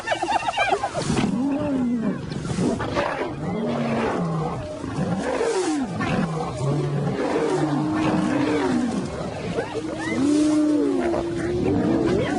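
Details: Wild African lions of a pride; several overlapping, arching snarls and roars follow one another almost continuously for twelve seconds, rising and falling in pitch, with a noisy, busy background.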